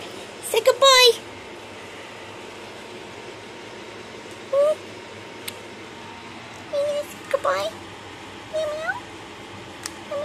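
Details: Cat from the household of Coral and Opal, indoors in a small room: short, high, slightly rising mews with bright overtones, a quick cluster near the start, then single mews every second or two, under soft affectionate human talk.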